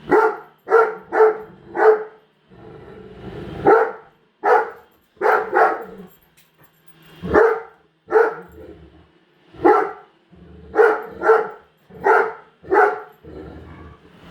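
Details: Female Great Dane at home refusing to accept a new robot vacuum, barking repeatedly; loud, deep barks in clusters of three or four, separated by short gaps with low machine noise underneath.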